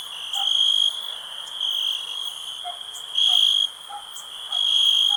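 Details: High shrill cricket trilling, with loud chirp bursts lasting about half a second at irregular intervals, plus short lower knocking calls from another animal mixed in.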